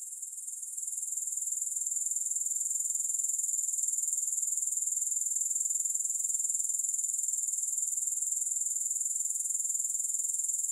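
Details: Grasshoppers shrill without pause, a bright high buzzing trill that fades in over the first second or two and then keeps a regular pulsing rhythm, roughly four pulses per second, with no music.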